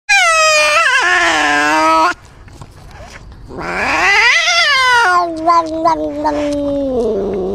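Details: Domestic cat caterwauling: a long, loud, wavering yowl rich in harmonics, a break of quieter rustling, then a second rising-and-falling wail that slides down into a lower drawn-out moan with a few clicks.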